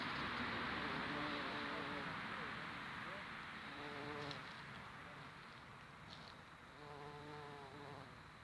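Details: Rufous-tailed bumblebee recorded in Serbia: a low droning buzz that swells in short stretches, its steady hum rising and fading over a background of broad hissing noise.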